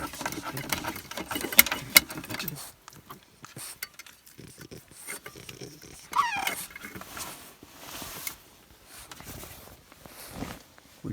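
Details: A 13-week-old male English Bulldog puppy snorts and grunts in low, pig-like bursts during his nightly burst of energy before bedtime while a person talks to it.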